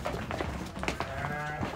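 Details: Pregnant ewes just arrived: a short, drawn-out nasal bleat late in the clip, over a busy backdrop of knocks, rustling and murmured voices.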